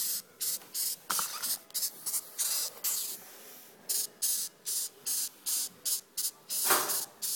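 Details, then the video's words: Noisy beetle found on a doorstep, giving harsh, hissing buzzes in short bursts about three per second, with a longer, louder scratchy burst near the end. "Noisy Beetle"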